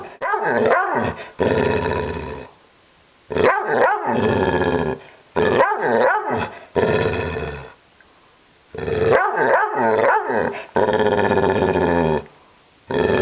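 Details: Agitated female dog vocalizing in repeated growling runs, each one to two seconds of gravelly, harmonic grumbles broken by yippy barks, separated by brief silences across about thirteen seconds.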